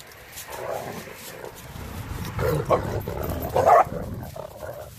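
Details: Playful growling and gruff barks from Renascence Bulldogge puppies Rekkr and Magi romping with Blue Bay Shepherd Kurgan and German Shepherd Lobo on Thanksgiving Day 2018; rough, rising bursts build toward a sharper yelp near the end, with music underneath.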